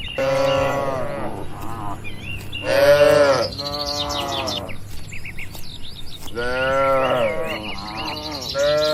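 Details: Tame cattle in a crowded farm pen: repeated full-bodied moos, one loud arching call around the third second and more later, over a low mechanical hum with chirping birds above.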